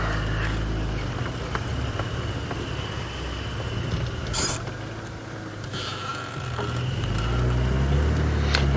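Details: A steady low engine rumble runs throughout, broken by scattered knocks and rattles, with no clear animal call.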